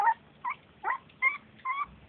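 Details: Beagle puppies at three weeks old giving about six short, high whining yelps in quick succession, each a brief rising or wavering squeak, roughly one every 0.4 seconds, with low rustling between them.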